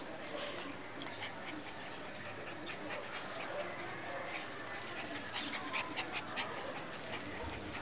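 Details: Chow Chow puppies at play: soft, irregular breathy bursts and faint whimpers over a steady hiss, with sharp scuffling clicks scattered through and clustering near the end.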